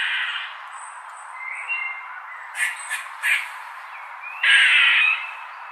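A squirrel gives harsh, raspy squawks and short scratchy bursts over a faint hiss.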